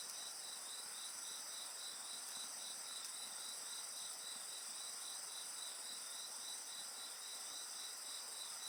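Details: Insects singing beside a bonfire: a dense, steady high-pitched chorus with a pulsing trill repeated almost four times a second over continuous shrill ringing tones, with no other sounds breaking through.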